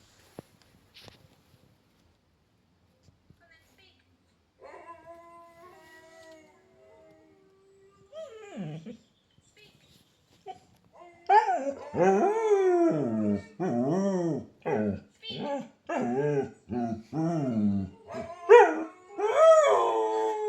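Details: A dog, reacting to a howling video and seemingly shy about it, breaks into a series of wavering, rising-and-falling howls, with a few whimpers between them.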